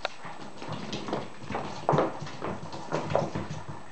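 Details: Whippet puppies just under seven weeks old playing together indoors; short high squeaky yelps break through around the middle and near the end, over a constant patter of scuffling paws and rustling.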